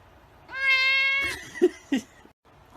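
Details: Single drawn-out meow from a white cat, even in pitch and clear, then two quick muffled chirps before falling silent.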